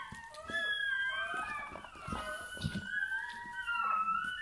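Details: Newborn Bernese Mountain Dog puppy at birth, indoors, giving continuous high, thin whining squeals that rise and fall in long wavering tones with brief dips, and no pauses.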